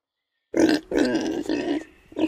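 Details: Domestic pig grunting in a children's animal sounds collection: a series of rough, nasal grunts, three longer ones in close succession followed by a short final grunt, after a moment of silence at the start.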